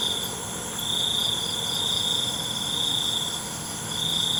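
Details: Cricket chirping at night: a long, nearly continuous shrill trill with a slight dip in the middle, set against a dense wash of insect hiss and a low hum.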